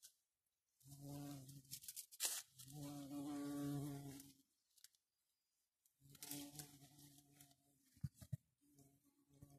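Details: A long-tongued garden bumblebee (Bombus hortorum) drones in low, steady bursts, its buzz rising and fading as it flies close.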